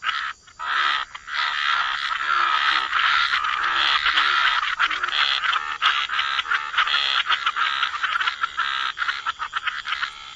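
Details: Dense wetland chorus of croaking frogs near water, continuous overlapping rasping calls forming a thick buzzing texture, with a few short breaks near the start.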